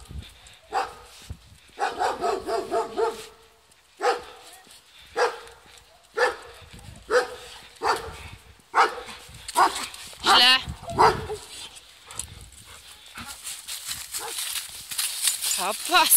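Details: American Staffordshire Terrier at a dog hotel, barking in bursts of quick repeated barks, then single barks spaced about a second apart, with a person speaking Polish and a squeaky toy-like sound near the end.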